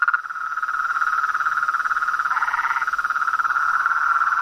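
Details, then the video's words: Outdoor chorus of frogs, toads and treefrogs: fast, evenly pulsed trilling at one steady pitch, with a brief, slightly lower overlapping trill in the middle. "Os sons dos sapos , rãs e perereca na Natureza"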